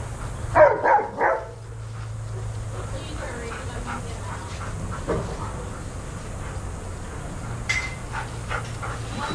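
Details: Shelter dogs at play in a daycare give a quick burst of three loud barks in the first second and a half, followed by faint distant yips over constant low room noise.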